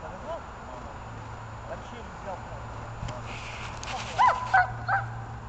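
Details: A German Shepherd, female, during protection training at Donetsk botanical garden on 21 November 2020, gives a few sharp, loud barks near the end as the handler urges it to bite, over quiet voices and a low hum.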